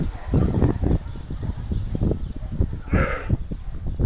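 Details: At the Cyprus Camel Park, camels fighting or perhaps mating give rapid low guttural grunts and rumbles, broken by one brief wavering moan about three seconds in.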